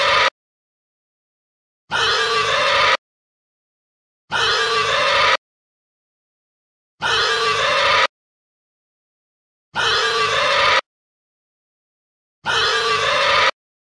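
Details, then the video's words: Pig screaming: five harsh, broadband, shrill bursts of about one second each, separated by silence and repeated roughly every two and a half seconds with a very even rhythm. "pig scream"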